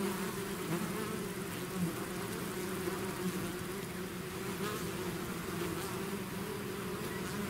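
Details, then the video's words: A swarm of bees out of its hive, buzzing in a dense continuous drone with steady low hum bands and brief louder passes of individual bees, no other sounds. "bees therapy swarm natural buzzing sound"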